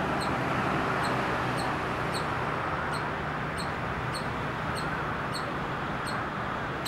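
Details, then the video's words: Squirrel calling at Hebbal Park, captured on a Nikon D5100, giving a regular series of about a dozen brief, high-pitched chirps spaced well under a second apart, half buried in steady heavy background noise. "SQUIRREL NOISE MAKKING"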